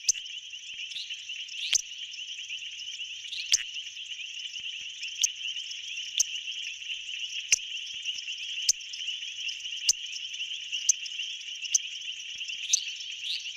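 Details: Male painted reed frog calling in a South African pool, the loudest caller for his size, audible over a mile away; sharp, piercing chirps repeated roughly every second over a dense, continuous high-pitched chorus of other callers.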